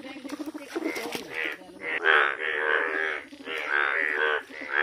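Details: Chorus of yellow frogs: drawn-out, buzzy, bleating croaks that swell and fade, with several callers overlapping continuously.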